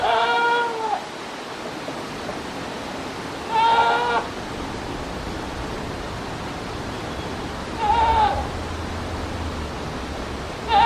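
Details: On scaffolding at 9:12 a.m., 19 November 2019, a goat bleats four times, each a short wavering, nasal 'meh' repeated roughly every four seconds, against a constant broadband rushing background.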